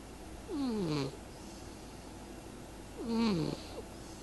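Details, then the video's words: Sleeping cat Lady Pumpkin gives two snores some two and a half seconds apart, each a short sliding tone that drops steeply in pitch with a faint breathy hiss on top, over a low steady room hum. "And Lady Pumpkin snores"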